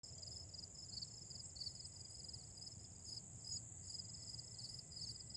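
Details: Autumn grass insects calling outdoors: a steady high-pitched trill in pulsed bursts, with a continuous higher ringing drone above and low background rumble beneath.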